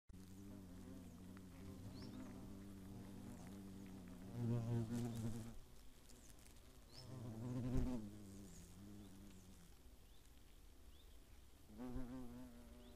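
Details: Hornets at their nest in the Eifel near Greimersburg, Germany, on 15 August 2017: a low, steady droning hum with rich harmonics, swelling into louder buzzing passes around 4–5 seconds, near 8 seconds and again at 12 seconds.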